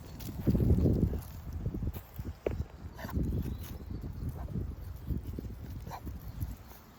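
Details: English bulldog on a walk, breathing heavily: rough, low, snuffling huffs in irregular bursts, loudest near the start, with a steady faint high whine running throughout.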